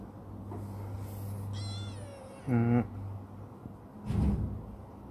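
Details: Chibikuro, a black female rescue cat who was once a stray and has grown affectionate, utters two meows in quick succession, the second louder and shorter, followed by a dull thump against a low background hum.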